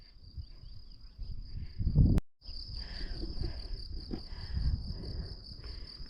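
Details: Crickets singing in countryside around Saint-Laurent-en-Grandvaux, Jura, France, in May 2025, heard during a trail walk on a quiet rural road: a continuous high, steady trill, briefly cut off once, over footsteps and low wind rumble.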